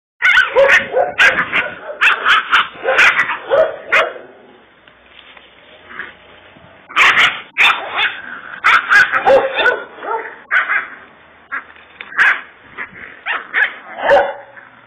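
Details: Kangal puppy, described as a little fighter dog of Kurdish origin, giving bursts of high, yappy barks in rapid clusters, with a quieter pause midway before the barking resumes.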